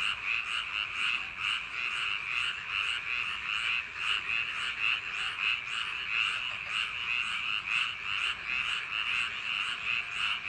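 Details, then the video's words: Paddy-field frogs at night in summer, croaking together in a continuous rasping chorus; bursts of calls rise and fall in quick, uneven pulses without pause. "여름밤 논두렁개구리소리"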